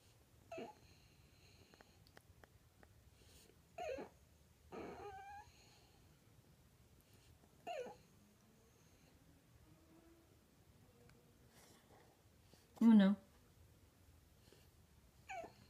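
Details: Indoor French Bulldog, afraid of the vacuum cleaner, asking its owner for help to retrieve its ball: short high whimpering whines with squeaky rising tones, about six bursts spread over fifteen seconds, separated by quiet room noise.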